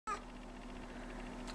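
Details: A Silver Bengal kitten, urged to sing, gives a brief, high meow that slides into a low, drawn-out droning note.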